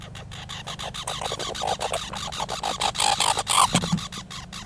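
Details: Squirrels calling with a fast run of harsh, buzzy pulses, repeated several times a second and growing louder toward the end, over a low steady hum.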